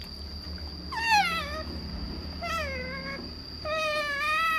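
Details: Otter kept as a pet, excited while being offered salmon, making three long, descending mewing squeals, the last one held and wavering; quiet room with a constant thin high-pitched hum.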